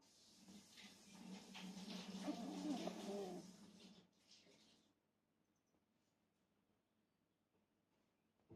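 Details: Hime, a Shiba Inu, snores in soft, breathy, rasping pulses over a low hum for about four seconds, then fades into near silence.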